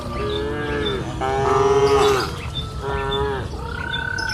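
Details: Cattle lowing on a lush pasture hill in warm afternoon light, several sustained moos in succession, one louder and rising in the middle, over a constant low outdoor rumble.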